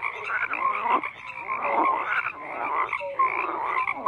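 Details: Frogs croaking en masse: a churning mix of coarse rattles and creaky, slightly rising calls, with a couple of short tonal peeps standing out over the steady chorus.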